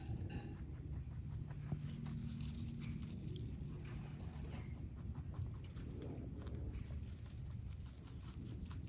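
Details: A rabbit munches a load of greens, grasses and flowers, with quick, crunchy chewing clicks over a low, steady rumble.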